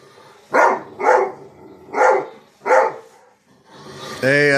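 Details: A dog barking at himself: four loud barks spaced roughly half a second apart, a brief quiet, then a man's voice speaking at the end.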